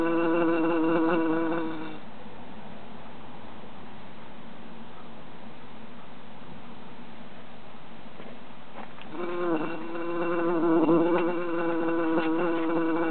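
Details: A summer jar holding three trapped bees: a strong wavering drone buzzes for two seconds, fades to faint hiss, then swells again for the last four seconds with small pitch wobbles and a few taps.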